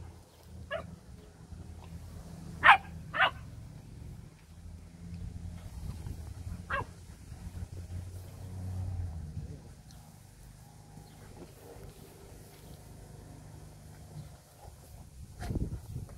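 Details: Lion hound dogs in training giving scattered barks: one short bark early, a quick loud pair about three seconds in, another single bark later, then long stretches of low background rumble and shuffling.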